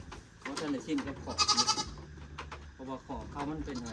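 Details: One of four extra goats bought for a herd gives a short quavering bleat mid-clip, framed by people speaking before and after.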